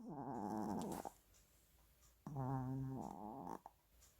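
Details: Sleeping dog snoring while dreaming and talking in its sleep: two drawn-out, humming groans of about a second each, with a pitch that bends slightly and a quiet pause between them.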